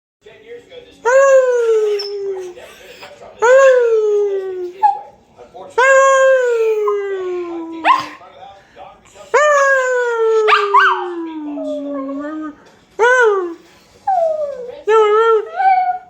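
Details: A male dog howls in long, tonal wails that slide downward, joining in as a person howls alongside.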